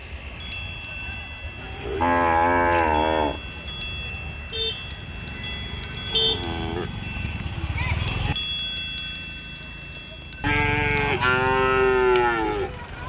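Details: Cows on a street with a calf drinking milk: two long harmonic moos, each over a second, one near two seconds and another near eleven, with a short call between and steady chime-like tones in the background.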